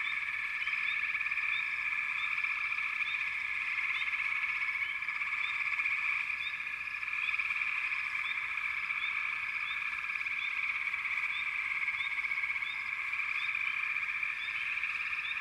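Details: A frog chorus holds a constant, buzzy trilling wall of sound for the whole stretch, with brief upward-sliding chirps scattered regularly over the top and no pauses.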